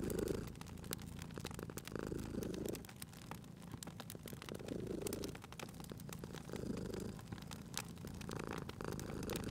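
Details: Cat purring at a crackling fireplace in spring; a gentle low rumbling purr with slow breath-paced swells runs under steady snapping and popping of wood in the fire.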